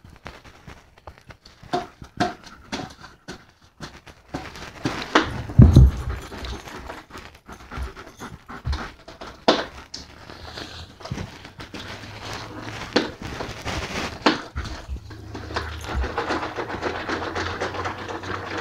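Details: Playing German Shepherd panting continuously indoors, rapid irregular breaths with short louder huffs and a low background hum throughout.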